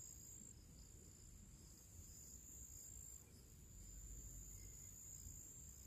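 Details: Summer crickets sing before evening in nature: a continuous high-pitched ringing trill, slightly pulsed and unbroken, against a low rumbling wind-like background.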